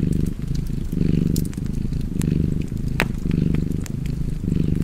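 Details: Cozy cat purr, deep and buzzy, pulsing in roughly one-second waves of inhale and exhale, with scattered crackles and a louder snap from a fireplace.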